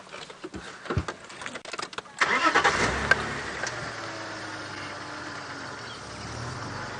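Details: A vehicle engine starts with a burst of clicks and rumble, then settles into a steady idle, with no animal calls heard.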